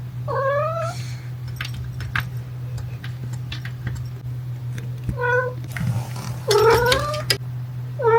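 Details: Playful young black cat gives a series of short, tonal meows, some bending upward, spaced a few seconds apart while playing with a person; a toy poodle looks on; steady low hum and light handling noises.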